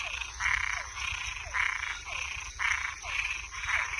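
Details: Nocturnal chorus of frogs and tree frogs: harsh, buzzy croaks of about half a second, coming roughly every second, with faint falling chirps in the gaps over a constant high-pitched background hum.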